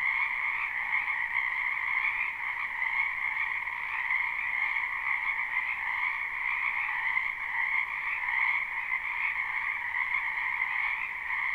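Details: Frogs massed in a spring wetland croak without pause in a live recording with no looping, their high, overlapping calls forming an even, ringing chorus with small swells in volume and no other noise.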